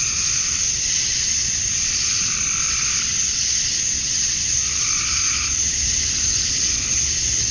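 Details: Dusk chorus of male cicadas calling to attract females in Georgia, USA during summer: a dense, high, even buzz with a few deeper frog croaks breaking through midway.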